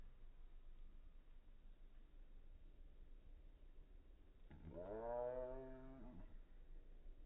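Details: A male Bengal cat, crying in a weird way when sexually aroused and touched, gives a single meow, slowed down into a long, deep, rich moan that rises and then holds.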